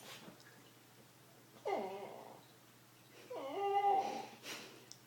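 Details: Wrigley the dog lets out two drawn-out, wavering, yodel-like whines about a second and a half apart, each bending downward then up, in a quiet indoor room.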